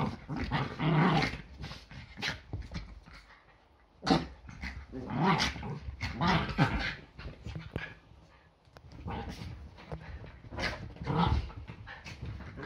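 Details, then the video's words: Yorkshire Terriers play fighting at home, a near-daily morning ritual before breakfast: loud snarling growls and sharp barks come in energetic bursts every couple of seconds, with thumps and scrabbling between them. "Yorkie ein ganz normaler Sonntag. Ein Tag beginnt immer mit mehreren Kämpfen"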